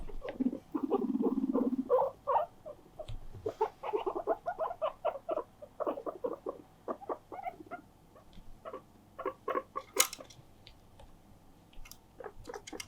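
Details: Attention-seeking pet guinea pig indoors, insistently calling its companions to play; a low rumbling purr opens, followed by quieter, irregular bursts of short squeaks and clicks, with a few sharp higher chirps later.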